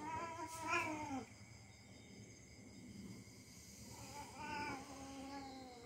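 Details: Domestic cat play-fighting with a young dog, wailing in two drawn-out harmonic yowls that rise and then fall, one near the start and another about three seconds later, with faint scuffling noise between them.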